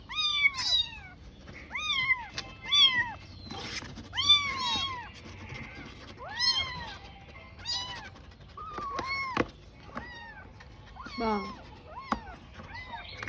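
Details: Tiny kitten alone and searching for its mother, meowing steadily: a dozen or so sharp, high, bowed cries about every second, the later ones shakier and more drawn out, with faint background sound underneath.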